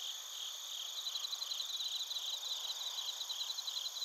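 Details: Bell crickets and crickets singing in Narita, Chiba, Japan, recorded on a TASCAM Portacapture X8: quick, bright, bead-like chirps in an uneven rhythm, laid over a dense, continuous high-pitched insect chorus.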